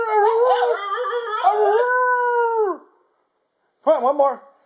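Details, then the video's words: Basenji dog indoors producing a wavering, yodelling howl for nearly three seconds, pitch bending up and down, then silence and a brief burst of warbled notes. "Harley the Howling Basenji"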